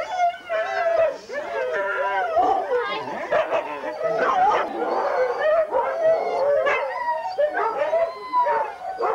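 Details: Many huskies at a 2001 Forest of Dean sled race, November, captured on VHS, keep up a continuous mix of wavering howls, sharp yips and whines for nine seconds, with human voices mixed in.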